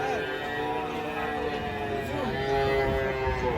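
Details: Cattle being unloaded from a truck at the Penambar market: a drawn-out, harmonic moo that bends in pitch midway, set against background music and outdoor market noise.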